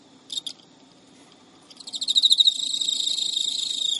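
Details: Midnight in Japan, early September 2011: a pet male Emma field cricket chasing an unwilling female gives one short chirp burst, pauses, then builds from separate ticking pulses into a sustained high, buzzy trill.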